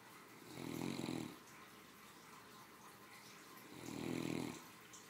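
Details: Three-year-old female Great Dane snoozing after a hearty lunch; two long, raspy snores about three seconds apart, each rising and falling smoothly, against near silence.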